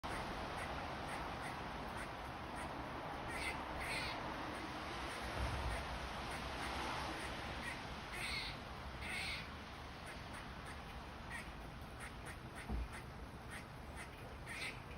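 A squirrel gives harsh, raspy barks in short clustered bursts over a steady high buzz.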